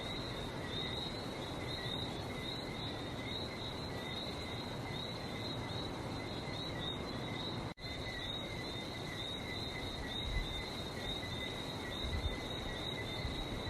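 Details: A continuous frog chorus recorded on a trip to Barbados: rapid, high whistled peeps in two layered tones, with scattered sharp clicks overhead, one brief dropout, and low rumbling noise underneath.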